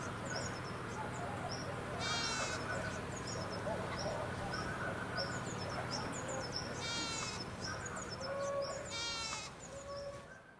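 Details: Goats roaming free above Sasa bleat three times with shaky, vibrato-laden cries spaced several seconds apart. A rapid series of thin, high chirps runs throughout over a low outdoor hum.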